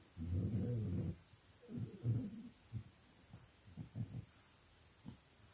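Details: Playful English Bulldog puppies in a pen at 4 am, Nairobi, Kenya, give a long low growl for about a second, then shorter rough grumbles and brief snorts trailing off into quiet.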